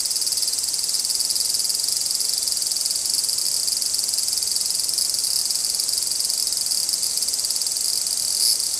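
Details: Large brown cicadas in a dispute, two insects involved: an even, continuous high hissing drone that barely varies, with one soft click near the end.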